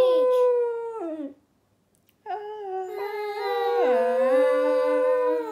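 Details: Pet cocker spaniel howling along to the song Ruby by Kaiser Chiefs: long wavering tonal howls, a first one sliding down, a pause of about a second, then a longer sustained howl rising and dipping in pitch, with music faintly behind.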